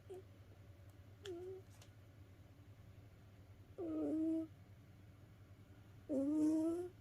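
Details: A house cat worn out from play snores in its sleep: two short, soft squeaks, then two louder rising nasal whistles about two seconds apart, over a steady low indoor hum.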